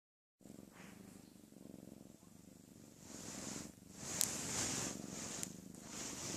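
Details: A female pet cat snoring loudly, a low rhythmic rumbling breath repeated in quick pulses, growing louder and raspier after a few seconds.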